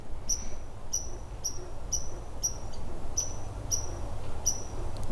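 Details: Squirrel in Canada, loud though small, calling during a vanlife stop: a sharp high chirp repeated about every half second, each note sliding slightly downward, steady rhythm over faint background hiss.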